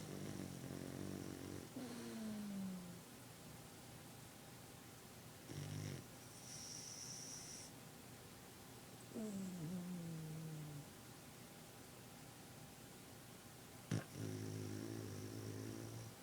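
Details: A Boston Terrier napping snores in low, rattling breaths, with occasional whistling nasal squeaks.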